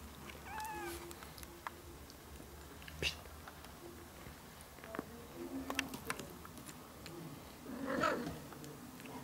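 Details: Ginger kittens one month old with their young mother cat, a rescued stray, indoors; a faint thin meow early on, soft rustling and clicks, and a louder brief mew near the end.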